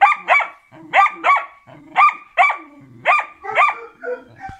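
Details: Karelian Bear Dog barking during training: a steady run of sharp, high barks, about eight in under five seconds, each a quick rising-falling yelp with bright overtones.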